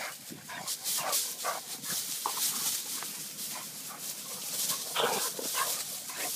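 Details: Short snorting grunts and low growly bursts from a playing Vizsla, irregularly spaced, with rustling and a continuous hissy background.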